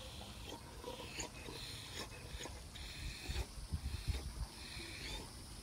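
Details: A male Great Dane sitting relaxing in a pool in the afternoon gives low, wheezy grunts, snorts and burps broken by a few thin, high squeaks.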